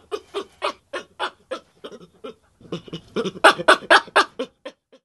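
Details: Baboon giving a run of short, grunting and barking pulses at about two per second. They fade briefly mid-way, then return louder and brighter before tapering off.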